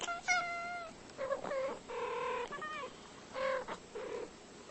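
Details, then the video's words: Two domestic cats talking to each other, trading meows: a long, clear, harmonic-rich meow at the start, then a run of shorter, wavering mews and chirps that rise and fall, with quiet gaps between calls. "2 cats talking"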